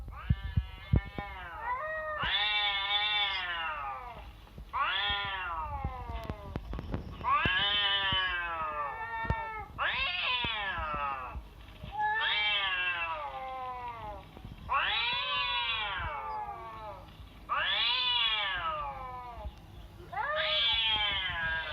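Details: Domestic cat meows played to a sleeping cat to test its reaction: loud drawn-out harmonic meows, rising then falling, repeated about every two to three seconds, with a short low murmur near the start.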